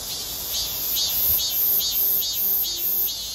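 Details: A male robust cicada sings from atop a flood-control barrier beside a stream swollen by heavy rain: a harsh, high buzzing drone pulsing in strong surges about twice a second with steady regularity.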